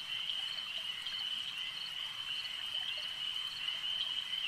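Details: Chorus of frogs at a lake: a constant, piercing high trill from many animals at once, level and unbroken throughout.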